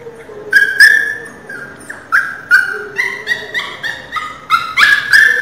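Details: Pinscher puppy named Teco crying loudly: a run of high, whining yelps with harmonic overtones, each cry rising then falling, repeated about twice a second, growing louder toward the end.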